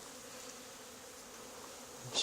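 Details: Swarming honey bees clustered on an old barn wall where another hive had been removed two days earlier, giving an even, continuous humming drone with no break, ending in a brief knock.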